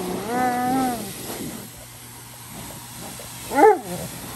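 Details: Alaskan Malamute unhappy about getting wet, crying: a wavering harmonic whine in the first second, then a quiet stretch with faint noise and a brief sharp rising yelp near the end.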